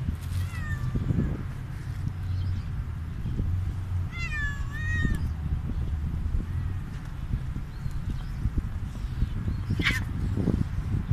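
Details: Stray cat meowing after eating food: a short meow near the start and a longer wavering meow around the middle, over constant low rumble and faint ticking background noise.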